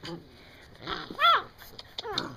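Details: Female puppy Venus, seven weeks old, talking indoors: short arched whining yelps, one louder rising-falling cry in the middle, while a person keeps praising her.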